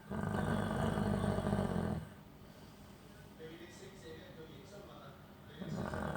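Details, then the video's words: Chow Chow dog in deep sleep after bathing, recorded January 28, 2021, snoring loudly: a rough, low rumbling drone for about two seconds, then a quieter gap, with the heavy snore returning near the end. "CHOW CHOW SNORING LOUDLY"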